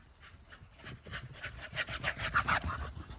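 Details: Staffordshire Bull Terrier on a walk in the woods, breathing in quick, breathy, rhythmic pants of about three to four per second, rising in loudness toward the end.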